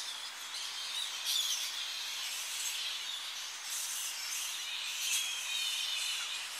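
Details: Tonga flying fox colony in early morning as the bats return to roosting trees on the coast, recorded close: a dense, continuous wash of high shrill chattering, with louder squealing bursts near the first and fifth seconds.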